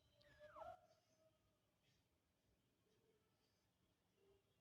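A kitten gives a single clear mew that slides downward, followed by fainter, softer mews.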